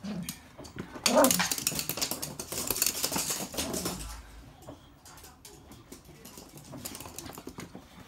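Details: Two pet Toy Poodles indoors, each playing with its own stuffed toy; a brief low throaty growl and a short yelp rise early, followed by bursts of rustling and scuffling as the toys are shaken.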